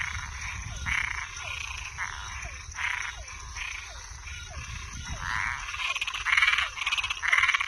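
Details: Frogs heard at night: buzzy croaks repeated about once a second, each trailed by a short descending note, growing louder and denser toward the end, over low rumble and high hiss.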